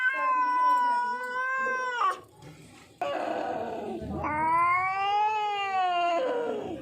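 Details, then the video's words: Lone hungry, thirsty street cat calling in fear: a level two-second wail that breaks off, a short silence, then a rough noisy burst and a second long cry that arches up and slowly drops. "बिल्ली की डरावनी आवाज। एक भूखी प्यासी बिल्ली। Street cat ki scary voice"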